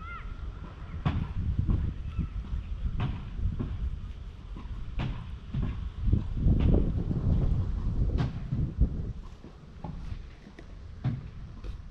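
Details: Low rumbling handling noise with scattered knocks and thumps, no clear animal call.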